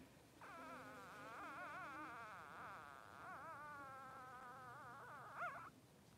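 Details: Three-day-old Blenheim Cavalier King Charles Spaniel puppy in Pom-Pom's newborn pen: one long continuous wavering whine lasting about five seconds, pitch trembling up and down, ending in a brief sharper squeak.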